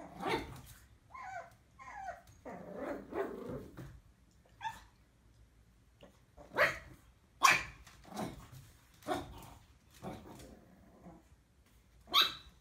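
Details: Puppies barking: scattered short, sharp yaps at irregular intervals, some louder and higher than others, mixed with a few brief whiny, tonal sounds in the first seconds and quiet gaps between.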